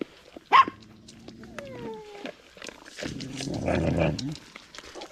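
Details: Stray dog giving a sharp yelp, then thin, high whines that slide downward, followed by a rougher burst of growly vocal noise, with scattered background clatter.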